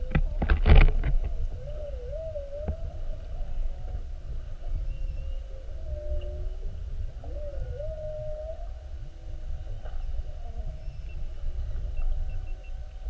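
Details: Recorded underwater as whales mugged a whale-watch boat on 2-21-19, repeatedly spy-hopping: a loud knock at the start, then several looping, wavering moans with rising swoops, set against a constant low boat and water rumble.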